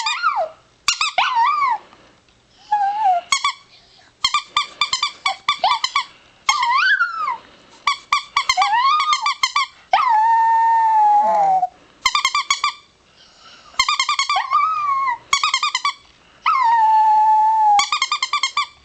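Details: Four-year-old pet chihuahua howling indoors in a small room: warbling, wavering high howls broken into rapid yodel-like pulses, with longer sustained falling notes between bursts and brief pauses.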